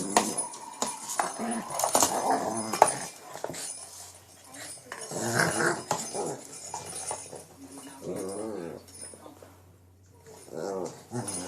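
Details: Shih Tzu King Bubba worrying a cat toy late at night in Pennsylvania: rapid, irregular growling bursts with whiny snarls, several clear harmonic growls near the end, toy scuffling and occasional voice in a small room.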